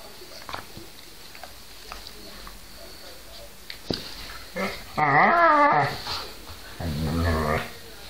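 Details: Two pet Whippets named Milo and Gino, recorded 5 February 2013, make a harmonic, wavering vocal sound lasting about a second, followed by a lower, rougher growl-like call; the room is otherwise quiet apart from a few soft knocks.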